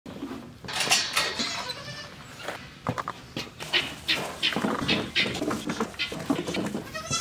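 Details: Baby goat being bottle fed, giving short bleats among broadband sucking, clicking and handling noises; several brief cries spread through the feeding.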